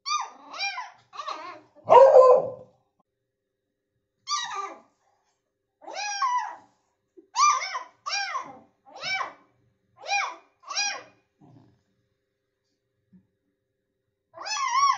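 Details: Month-old beagle puppy barking at its father indoors: high, yelping barks, some in quick pairs and triplets, about a dozen over fifteen seconds with short silent gaps between them, one louder rougher bark near the start.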